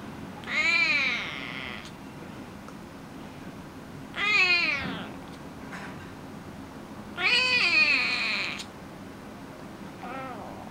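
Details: A 12-week-old male Oriental Shorthair kitten gives loud, wavering, high-pitched meows a few seconds apart.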